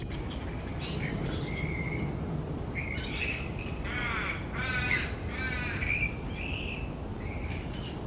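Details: A big roosting colony of grey-headed flying foxes hanging upside down in trees gives loud, wavering, rasping squawks that overlap and build to a noisy squabble midway, with constant low-pitched background rumble throughout.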